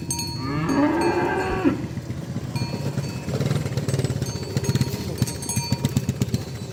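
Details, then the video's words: Cow roaming in the field, calling friends to come home to the pen as a cowherd herds them: one rising, drawn-out moo, then a jingling cowbell and clattering noise continue. "Cow and Ox Sounds Roaming in the Field Calling Friends to Come Home"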